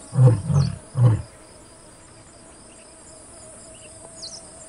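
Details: White lion male in Kruger National Park, with a female of the Satara Pride and two of his cubs, giving a full roar right next to a vehicle: three deep, booming grunts in quick succession, then faint insect chirping.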